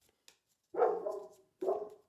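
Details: Female German Shepherd indoors, barking to protect the house; two separate muffled, mid-pitched barks almost a second apart, each fading out, with faint clicks in between in a small room.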